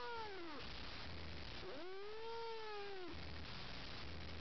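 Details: Bengal foster cat that is hostile to the household's other cats, giving a long drawn-out caterwaul: a descending wail, then a rising-and-falling yowl held over a second, with a low hum beneath.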